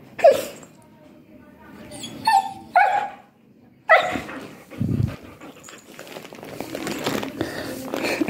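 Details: Siberian Husky at home in daily routine, giving short sharp high yelps and whining cries in bursts, with a drawn-out whine near three seconds, then people talking and handling noise in the background.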